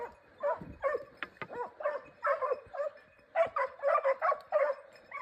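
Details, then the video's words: Hare-hunting Segugio Italiano baying in a Cypriot forest, giving quick, broken yelping cries in bursts, with short quieter gaps between runs. "Segugio Italiano in Cyprus forest hare hunting"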